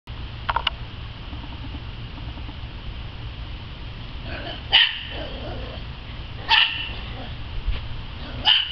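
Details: A dog playing and having fun in the yard gives short, sharp barks: one faint bark early, then three louder ones spaced about two seconds apart, over a steady low hum.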